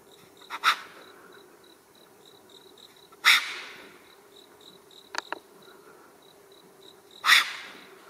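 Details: A solitary, territorial wild Japanese serow on a paved mountain road gives sharp, hissing blown snorts about every four seconds as a threat display at the person filming, with a steady buzz of insects throughout.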